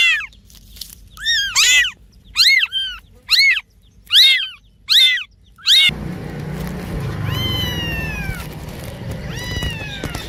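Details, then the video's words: Noisy cats at play: seven sharp, arching meows in a quick, regular series, then softer drawn-out meows over a louder rumbling background. "noisy Cats are making noise and playing"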